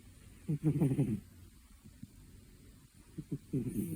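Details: A sleeping two-year-old cat snoring indoors: one loud low rattling snore lasting under a second, followed by soft clicking breaths, then another rasping snore starting as the recording ends.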